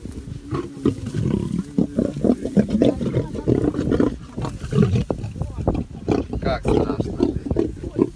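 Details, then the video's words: Lions at dinner in Taigan park, growling over their food: dense, rough low rumbles in rapid bursts throughout, overlapping at close range, with people's voices mixed in. "Эпицентр львиного обеда. Тайган! The epicenter of the lions dinner."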